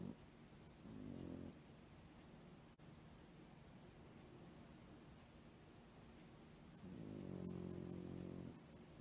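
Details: Soundly asleep Pekingese, curled into a ball at home and too deep asleep to wake when poked, gives two drawn-out, buzzy low snores about six seconds apart over a soft background hum.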